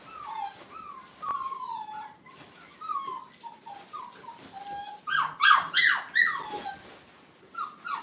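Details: Kennel playpen with five-week-old Brittany puppies on their first outing: steady falling whimpers from several pups, then a burst of sharper, louder yips before the whimpering resumes.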